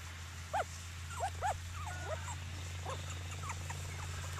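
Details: Cockapoo puppies, seven of them, playing outside at Denning Farms; a few short rising-falling whimpers near the start, then softer squeaky whines scattered through, over a steady low hum.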